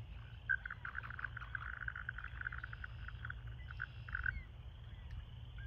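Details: American toad breeding chorus at a pool where toads gather to call and mate: many soft, rapid pulsed trill notes overlapping into a continuous distant chorus, with low background rumble.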